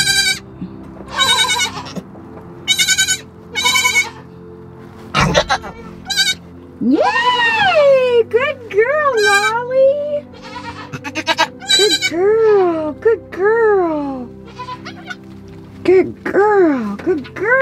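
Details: Nigerian Dwarf goats on a farm during a birth of twin female kids, the doe delivering without assistance; wavering, rising-and-falling bleats come in bursts, higher kid-like cries near the end, with background music playing throughout.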